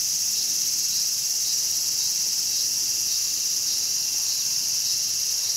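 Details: Cicada caught and eaten by a mantis in Showa Kinen Park, Tokyo, 2020. A continuous shrill, even buzz holds unbroken across the whole stretch, with no other clear sounds.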